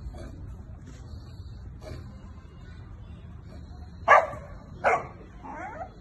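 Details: Boerboel (South African Mastiff), a semi-adult male puppy in Vijayawada, India, lets out two loud barks about a second apart near the end, followed by a softer whining yelp, over faint room noise.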